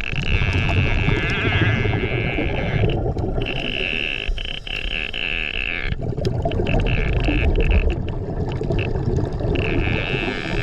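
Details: Whale song recorded on a dive over Gorilla Chop Reef on 14 March 2024: long, drawn-out tonal moans and whines carrying through heavy underwater rumble.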